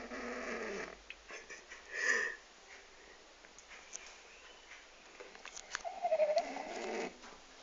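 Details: Sleeping French bulldog, aged 12, snoring quietly: rough, breathy snores broken by brief whistling wheezes, with quiet pauses between breaths.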